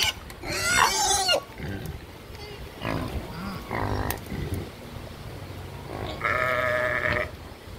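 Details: Live farm sheep giving a single wavering, nasal bleat near the end, after a person's greeting and scattered farmyard noises among ducks, geese and pigs.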